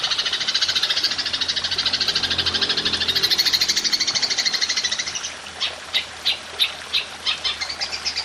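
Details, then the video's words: Golden grasshopper ('belalang emas') for training songbirds: a continuous high, pulsing trill for five seconds, breaking into separate sharp, ticking chirps that pick up pace toward the end. "Belalang Emas Nembak Panjang"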